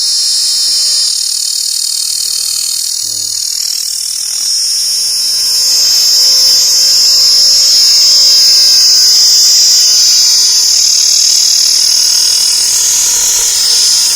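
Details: Insects calling in a dense, continuous high-pitched shrill drone that holds steady for the whole stretch and swells slightly in the middle, with a faint low rumble beneath.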